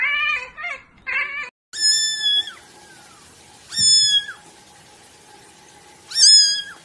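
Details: A kitten gives a few quick choppy mews, then three long, high, clear meows that are steady in pitch and spaced about two seconds apart.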